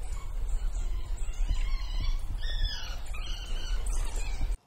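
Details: Southern African wild dog puppies give faint, high, twittering squeaks and squeals in overlapping bursts over a steady low rumble of wind.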